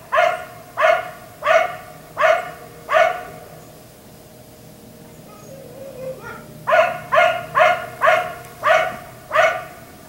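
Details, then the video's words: A neighbour's black Lab, kept outdoors late into the night until 1am, gives five sharp barks, falls quiet with faint murmurs in between, then resumes with a rapid series of six barks. "Dog barking until 1am"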